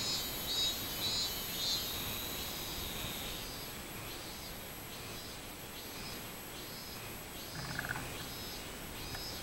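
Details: A robust cicada (minminzemi) on 24 July 2016 gives a long run of high, buzzy pulses repeating roughly twice a second, starting loud, easing and then resuming, with a short rattling sound near the end.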